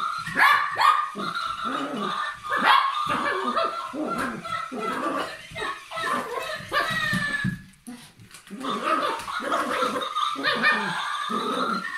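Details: A Papillon dog in play keeps up a steady stream of shrill barks, yips and growling grumbles, with a brief lull near the middle; faint human voices and laughter are mixed in.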